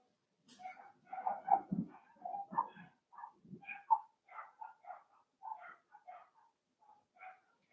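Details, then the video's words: Playing Cavalier King Charles Spaniel puppies raised indoors in a home puppy pen: a run of thin, high, whiny yips and squeals, roughly two dozen short bursts, irregularly spaced over the clip. "Cavalier Puppies Live: Puppies Playing"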